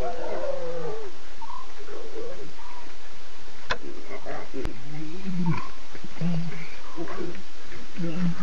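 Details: Three adult Nkuhuma lionesses contact calling and six talkative cubs at 2:50 a.m., September 8; repeated moaning calls with falling pitch, low grunting notes and higher short mews alternate throughout, over constant background hiss.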